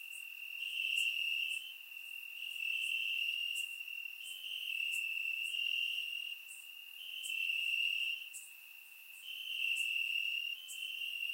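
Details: Warm summer night in Bulgaria with crickets chirping among grass, surround-mic recording; a sustained piercing trill pulses in slow swells of volume over about eleven seconds, with faint high ticks layered on top.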